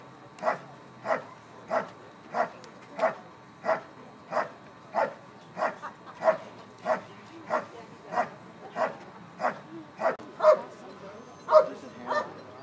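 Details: Dog performing a bark and hold at the 2013 Schutzhund USA Nationals IPO event, giving loud, sharp barks in a steady rhythm, about one every two-thirds of a second, over faint background noise.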